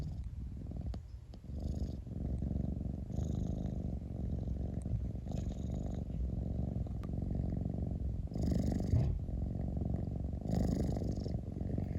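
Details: Pet cat purring steadily, a deep buzzing rumble running throughout, with occasional soft breathy hisses as it inhales; a few small clicks early on.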